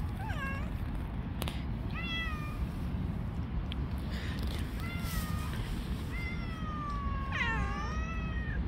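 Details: Street cats fighting, one troubled cat attacking the others; a descending meow, several level drawn-out cries, then a loud rising and falling wail near the end, over continuous low outdoor noise.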